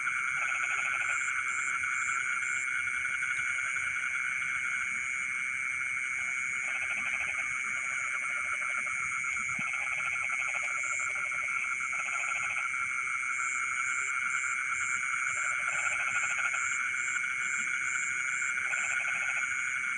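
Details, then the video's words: Night chorus of frogs in rice fields, midnight: clusters of fast, rattling pulsed croaks come in irregular bouts of about a second, set against continuous high ringing trills and a thin chirping shrill layer above. "the sound of frogs singing in the rice fields in the middle of the night"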